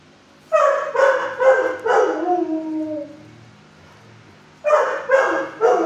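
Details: Kenneled six-year-old shelter dog barking at a visitor: a run of loud, rough barks trailing into a drawn-out, falling whine-like tone, then silence and three more sharp barks.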